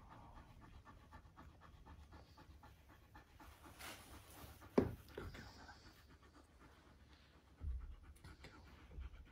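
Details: Siberian husky meeting a new puppy sister it takes to at once, panting in quick steady breaths throughout, broken by one short sharp sound midway and a soft thump later.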